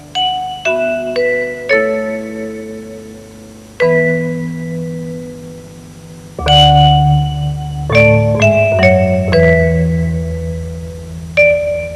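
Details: Mallet percussion music with ringing marimba or glockenspiel notes, and no animal sounds.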